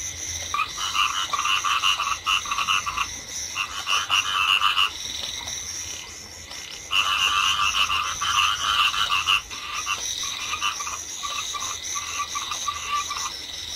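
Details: Dense chorus of Chinese edible frogs in flooded rice fields under drizzle, rattling croak bouts of about two to three seconds rising and dropping away in waves, over a constant hissing rain and insect background.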